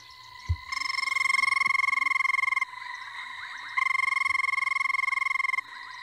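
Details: Banded rubber frog (Phrynomantis bifasciatus) gives two long, whirring trills, each lasting about two seconds.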